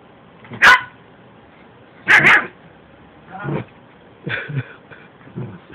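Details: Buddy, a young Yorkshire Terrier, attacking Nennah, a Shih Tzu: two sharp, loud barks about a second and a half apart, followed by softer, shorter yapping bursts over a quiet indoor background.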